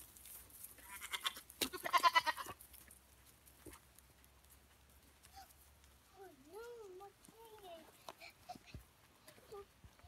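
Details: Pet goats being played with by their owner; a loud rushing burst early on, then a pair of soft, trembling, up-and-down bleats later, with scattered knocks and light background noise.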